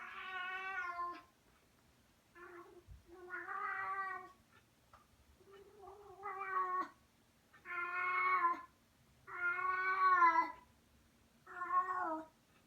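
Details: With a favourite toy gripped in her mouth, a female cat utters a series of strange muffled yowls, some short and some drawn out, spaced a second or two apart, in a quiet room.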